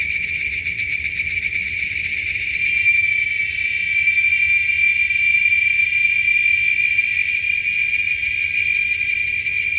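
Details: Male giant cicadas (Quesada gigas) in Texas sing in a chorus louder than a lawnmower, a steady, shrill, high-pitched drone that barely wavers throughout.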